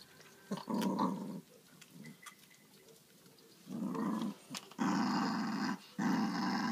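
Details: Domestic dog growling over a pork trotter bone during a food squabble indoors: repeated deep, gravelly growl bursts of about a second each, separated by short pauses, growing louder toward the end.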